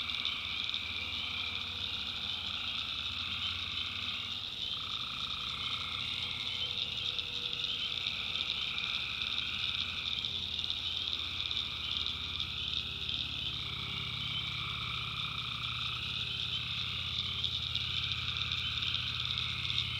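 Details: Nighttime tree frog chorus from a North Carolina backwoods swamp: a continuous piercing high trill, with lower one-to-two-second notes at irregular intervals and a soft low hum beneath.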